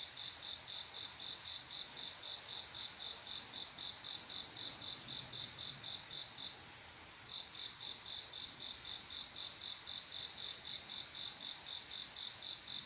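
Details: Cricket singing on a quiet summer night, a male calling a female to mate: steady high pure chirps about four per second, a brief pause partway through before the chirping resumes, over a constant hiss.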